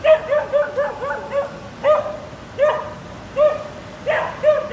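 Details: Young female Border Collie in sheepdog training barks in confusion at a giant illuminated sheep statue at Durham's Lumiere light festival, trying to round it up; quick runs of short yappy barks, clustered at first then spaced about 0.7 seconds apart.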